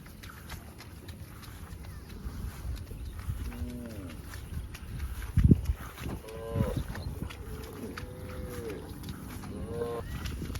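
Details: Farm cows running and jumping in open fields give several short, harmonic moos scattered across the clip, some rising then falling, over steady low rumbling and a few sharp thumps.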